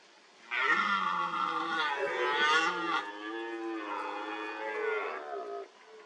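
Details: Red deer stag during the rut at a wallow, where stags roll in urine-soaked mud and gouge the ground with antlers to leave a scent mark; one long harmonic-rich bellowing roar lasting about five seconds, strained and wavering.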